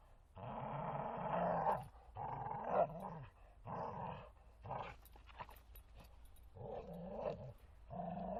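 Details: In a forest, a Bull Terrier named Martin plays and growls in long rough rumbles, roughly one or two seconds each, followed by choppier, broken grunts and scuffling sounds.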